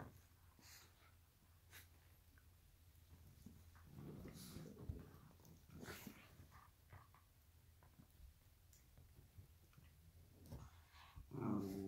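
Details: Black and tan Shiba Inu play fighting indoors with a Shihuahua on a donut bed; a rough, low growl rumbles for about a second midway, between soft snorts and breaths, ending with a louder growling burst.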